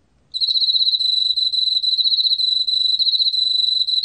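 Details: Korean field cricket, recording from the National Institute of Biological Resources, 2020: after a moment of quiet the insect launches into a bright, high-pitched, evenly pulsed trill that carries on without a break to the end.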